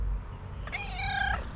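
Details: Female tuxedo cat, a pet that always purrs loudly, greeting her owner with a single steady, tonal, slightly nasal meow lasting under a second, after a quiet start with a low background rumble.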